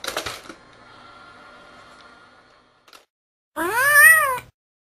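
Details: Cat playing whack-a-mole with a kitten hidden inside a box, indoors. After soft rustling and a faint steady hum, one loud, clear meow rises and falls in an arch and lasts about a second.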